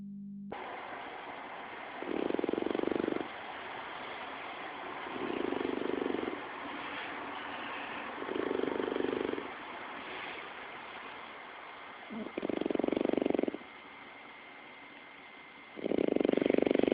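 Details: French Bulldog snoring while sleeping, recorded on an Android phone: five rasping, low snores, each about a second long, come every three to four seconds over a steady background hum.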